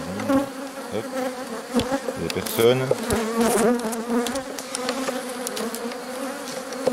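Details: Rescue work on a drone-laying honey bee hive, 3 May 2021, after a brood frame with nurses from the nearby colony is brought in. A dense, even hum of many bees, broken by a few taps and a short handling noise.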